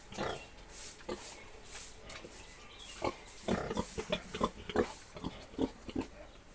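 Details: Young boar around seven months old produces low, rough grunts, sparse at first, then a quicker burst of short snorting grunts in the second half, over a noisy background.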